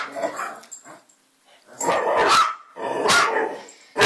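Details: Bracco dog barking in three loud, harsh bursts about a second apart after a quieter start with faint low voicing and rustling.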